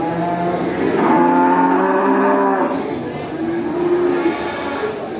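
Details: Farm cows calling to one another while herded back to the barn after grazing; long, steady moos from several animals overlap, swelling and fading.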